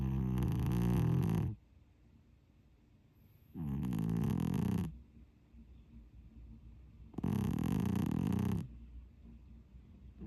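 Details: Domestic cat asleep and snoring, giving three low, buzzing rumbles of about one and a half seconds each, separated by quiet gaps of around two seconds, with a faint hiss at the start of each breath.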